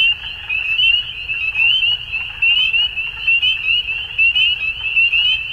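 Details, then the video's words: Chorus of frogs at dusk: many callers giving rapid, rising, chirping trills at a high, even pitch, pulsing roughly once a second and blending into a continuous wall of sound. "Frogs At Dusk"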